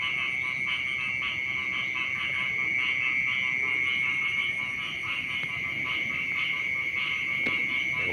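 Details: Frogs at a rice paddy beside a house call at about 5 a.m., forming a dense chorus of rapid, pulsed croaks over a steady high ringing tone; the paddy's frogs are said to be especially loud when it rains.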